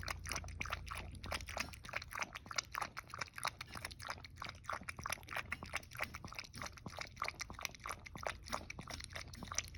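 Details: Toy poodle indoors eagerly drinking goat milk, a fast run of wet lapping clicks, roughly one or two per second, steady throughout with a low hum beneath.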